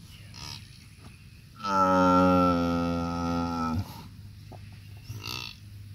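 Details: Cow in labour giving birth to a bull calf on a farm, letting out one loud, steady, rich moo lasting about two seconds, with low background hum and small clicks before and after.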